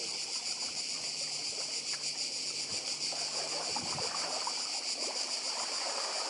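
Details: Cicadas on Badija island, Croatia, in 2024, singing with the sea nearby: a dense, steady high buzzing chorus with a fine pulsing texture that fills the whole clip, over soft water sounds and a faint low hum.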